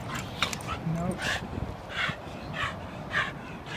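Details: Australian Cattle Dog mix puppy, an adoptable foster in the San Francisco Bay Area, USA, herding and playing with his foster sister; short high yips and squeals repeated about every second, with a person speaking firmly.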